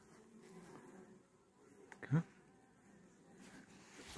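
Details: A caught honey bee swarm, just sprayed with sugar syrup while a young queen is added, gives a continuous low droning hum with a brief loud thump midway.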